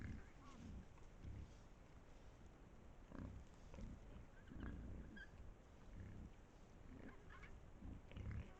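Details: Low grunting from a pack of wild boars on an Estonian trail camera, irregular muffled pulses every half second or so, with brief faint higher chirps amid a rumbling background.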